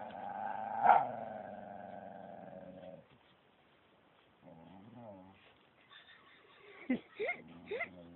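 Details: A dog walking with Samoyed XASCA and Thai-mix FELIX at Phuket Dog Resort gives a long, sustained, harmonic howling whine that slowly falls. After a quiet gap come wavering moans and several sharp yelps near the end.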